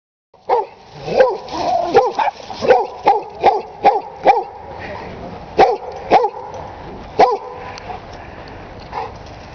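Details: A friendly dog that barks almost non-stop around other dogs: a run of sharp, mid-pitched barks, single and in pairs, about one to two per second, tapering off toward the end.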